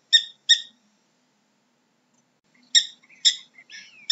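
A prairie dog gives two sharp, squeaky chirp-barks, pauses, then barks again. The later barks blend into softer, buzzy chattering notes that slide and rise.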